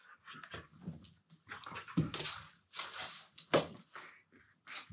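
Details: Two Siberian Huskies playing together indoors, mouthing each other while lying on the floor, one talking in a low-pitched voice: short grumbling, moaning vocal bursts rising and falling, about seven in five seconds, with soft scuffling between them.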